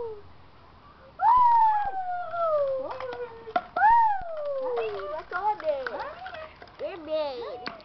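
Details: Keeshond puppies giving a run of long, high, whistly whines that slide downward, several drawn-out cries followed by shorter wavering yelps and squeaks, with a few clicks and knocks in between.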